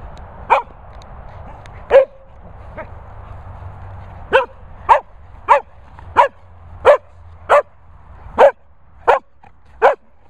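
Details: Sprocker spaniel named Barney barking at a training and boarding kennels in the Worcestershire countryside, sharp loud barks in a broken series, two early then a steady run of about eight, roughly one every half second, over a low hum.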